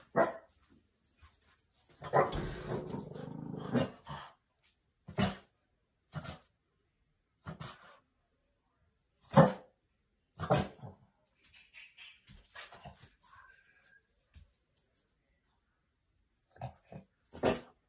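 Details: Boston Terrier keeping night watch, alerting at his shadow in the window or someone possibly walking around the house outside. Gruff growling barks run together early on, then single sharp barks come every one to two seconds with quiet gaps.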